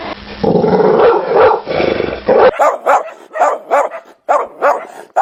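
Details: Dog barking: after a noisy, muffled opening, a run of short, sharp barks follows, repeated roughly every half second with brief gaps.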